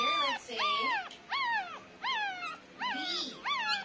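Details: Crying from nine-day-old Pomeranian puppies: about six arched, squeaky whines coming in bursts roughly two-thirds of a second apart, with soft lower murmurs between them.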